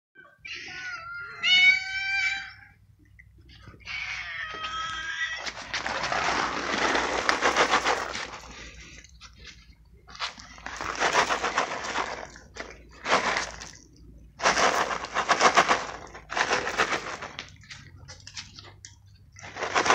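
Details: Feral stray cats gathered for a feeding of crunchies. High, wavering meows with clear harmonics open the clip, followed by repeated loud bursts of rustling and crunching noise as the food is given out.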